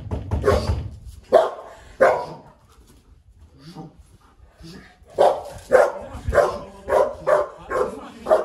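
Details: Guard-trained Golden Retriever, gentle with strangers, barks on command: a burst of two loud barks, a pause with low voices, then a run of about seven forceful barks spaced roughly half a second apart.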